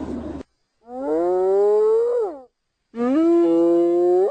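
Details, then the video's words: Hyena whoops, calls said to carry over long distances and keep the group in touch: two long, drawn-out, rising tonal calls about two seconds each, separated by a short silence, preceded by a brief rough noise. "Hyena Sounds"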